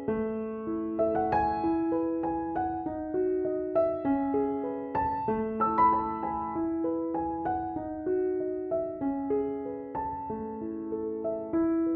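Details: Gentle piano melody with repeated chords and a slow lullaby-like tune, and no animal voice anywhere.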